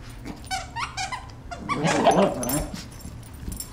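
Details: A gang of Shih Tzu puppies at play in a humorous scene: a quick run of thin, high whining yelps, then a louder, rough, grumbling burst like a playful growl, with quieter scuffling afterward.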